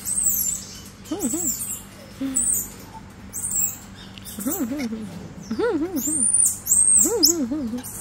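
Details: A one-year-old black-capped squirrel monkey gives short, arched, whiny calls in clusters, with thin high chirps above.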